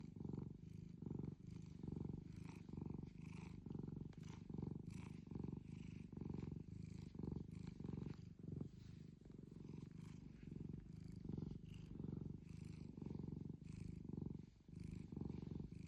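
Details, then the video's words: Loud purring from a long-whiskered tuxedo cat, a low rumbling purr rising and falling with each breath, roughly every second, steady throughout. "loud purrs"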